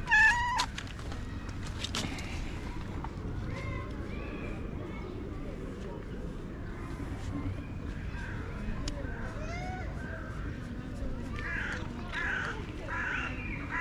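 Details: Stray cat acting like a tiny baby, giving a few short harmonic meows, a sharp one near the start and softer wavering ones later, over a steady low outdoor rumble and hiss.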